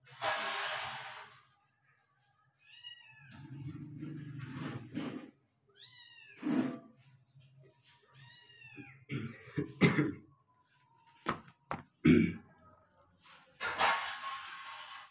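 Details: Persian cat meowing indoors: a run of short, arched meows that rise and then fall, spaced a second or two apart, mixed with rustling, sharp clicks and a low steady hum.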